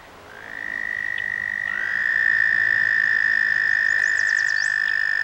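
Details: A male toad calling in a vernal pond gives a long, steady, high musical trill, soon joined by a second overlapping trill.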